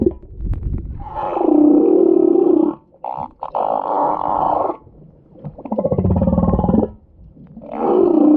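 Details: Crying or snoring humpback whale giving gravelly, sustained roars, each lasting around one to two seconds, with short silences and faint clicks between them.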